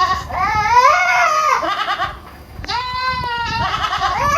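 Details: Young goats on a farm in Purwokerto, Indonesia: two long bleats with a wobbling, nasal quality, the first drawn out over about two seconds and sliding down at the end, the second starting abruptly after a short pause.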